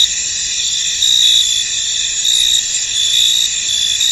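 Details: High, shimmering chorus of crickets in a fog-covered field, continuous trilling tones overlaid with short, brighter chirp pulses that rise and fall every second or so.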